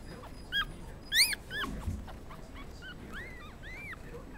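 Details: Black and black-and-tan Pomeranian puppies born November 17, at a puppy shop in Kadoma, Osaka, give high, squeaky whines and yips, with several short arched cries overlapping.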